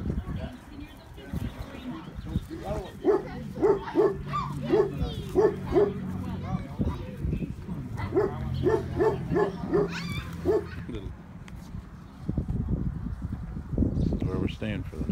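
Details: Tibetan Mastiff puppy named Thor, adopted from Kesang Camp in Illinois, on its first night with its new owner after being picked up: short, high, whiny yelps come in two quick bursts of repeated notes, with people talking throughout.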